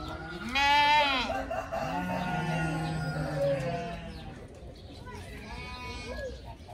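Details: Playful young pygmy goats; one loud, quavering bleat near the start and a fainter bleat later, with continuous speech underneath.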